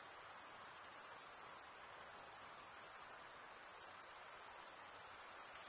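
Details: High, ringing cricket chirps merge into one continuous pulsing drone, uniform from start to end, with a light hiss underneath and no other sounds.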